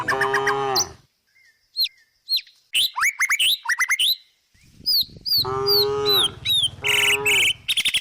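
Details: Cow resting in the countryside and grazing: a deep moo opens, then sharp, rising bird chirps fill a quiet stretch before two more long, harmonic moos, with bird calls over them.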